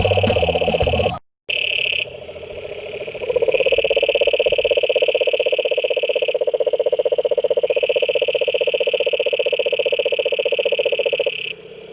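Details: Frogs croaking in a pond: a dense, fast pulsing trill rolls on almost without pause, with a steady higher ringing tone above it. A short burst of music opens the recording before a brief silence.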